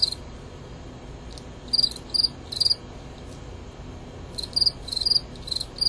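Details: Fall field cricket males, Gryllus pennsylvanicus, in a fight. Bright, high-pitched chirps come in short bursts, first a group of three, then a silent gap, then a quicker run of four or five chirps.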